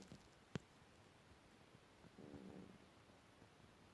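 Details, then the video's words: Domestic cat asleep indoors, giving one soft, low, slightly buzzy snoring breath midway through, framed by a quiet hiss of room noise and a single sharp click near the start. "Mijn kat snurkt/my cat is snoring"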